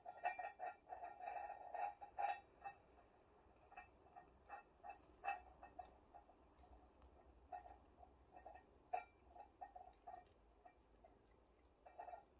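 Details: Cats of a family sheltering inside a woodpile, 20 August 2022, give rapid, uneven series of short tonal mews, about two per second, louder early on and tapering through the stretch.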